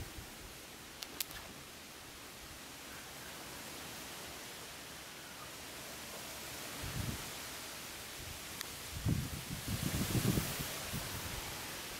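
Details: Steady wind rushes through an outdoor garden, with rustling and a few soft knocks and no animal voice.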